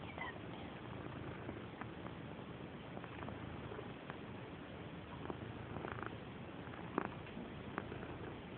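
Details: Purdy, a female pet cat known as an aggressive rubber, purring loudly indoors; a steady low rumbling purr runs throughout with a few faint clicks and soft rustles over it.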